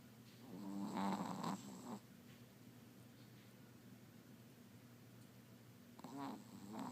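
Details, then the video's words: Sleeping Chihuahua snoring very loudly while dreaming; a raspy, buzzing snore for about a second, a quiet gap, then another snore starting. "Sleeping Chihuahua Snoring"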